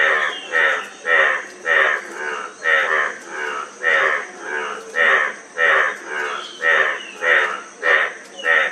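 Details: A frog repeating grating, pulsed croaks in an unbroken rhythm, close to two calls per second, with a thin continuous whine in the background.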